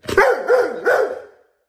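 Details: Hugo, a pet Bernese Mountain Dog, answers his family as they talk to him about going on the boat: three loud, tuneful yowling barks in quick succession, each sliding up then down, the last fading out.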